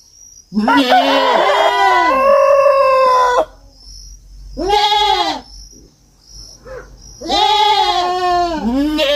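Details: Kid goat on a farm bleating in long, shaky, strained cries, several voices overlapping in a drawn-out bout, then shorter bleats after a brief pause.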